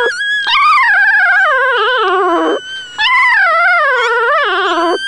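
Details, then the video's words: Two drawn-out, warbling cries from newborn nursing puppies, each sliding up and down before dipping low at its end, separated by a short quiet gap; the tone is otherworldly and almost theremin-like. "The sound of newborn puppies nursing"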